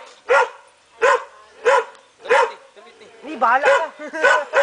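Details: Belgian Shepherd puppy giving four short, sharp, high barks spaced roughly every 0.7 seconds, then a run of wavering, rising-and-falling yelps and whines that may mix with a human voice toward the end.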